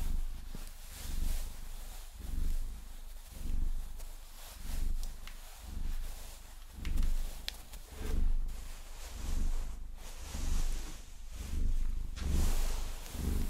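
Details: Vasilisa, a Maine Coon cat, purrs while being massaged with long nails; deep, low rumbling swells repeat roughly every second, mixed with crisp scratching and tapping of nails on fur.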